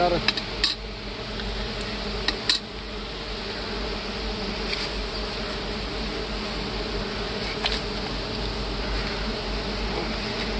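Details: Big honey bees buzz unbroken around a honeycomb being harvested in hard woods, a full even hum. Several clicks and knocks come at the start, with a few more later.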